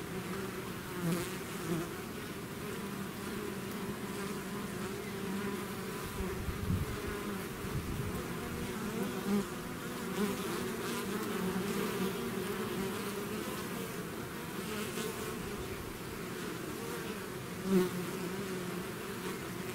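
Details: Natural buzzing of a bee swarm out of its hive: continuous low droning hum with rising and falling swells and a few close fly-by buzzes, one loud near the end.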